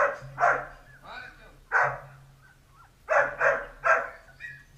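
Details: Playful Dalmatian puppies yap in quick barks, a pair at the start, a single one midway, then three rapid barks in a row, with a faint high whine between them and a low background hum.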